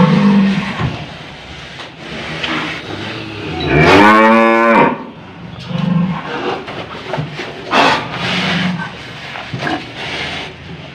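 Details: An old, stubborn cow is roped through the nose. A single loud, tonal moo of about one second rises midway through, surrounded by people talking, shuffling and brief music.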